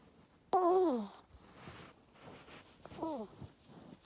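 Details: A sleeping pet ferret named Luna, kept caged in a bedroom while treated for an ear tumor, gives two snoring squeaks. Each is a wavering, harmonic whistle falling in pitch, the first louder, in a quiet room.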